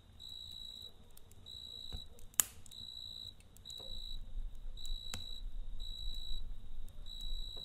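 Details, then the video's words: Crickets at night by a crackling campfire: bright high-pitched chirp bursts about two per second, steady and even, punctuated by occasional sharp pops of the fire and a gentle low roar. "Kamp Ateşi ve Cırcır Böceği Eşliğinde Dinlendirici Gece Sesi"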